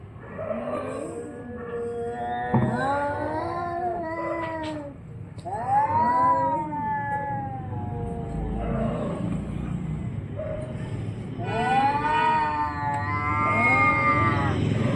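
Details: Orange and white cat defending its area in a fight, giving long moaning yowls that bend up and down, repeated in three main bouts with short gaps, plus a sharp thump and constant low rumbling background.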